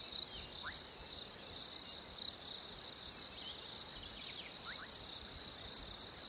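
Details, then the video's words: A continuous, shrill chorus of crickets on a hot summer day. The even, high-pitched buzz never pauses, and a few soft, quick bird chirps come through in the background. "Crickets in a hot summer day"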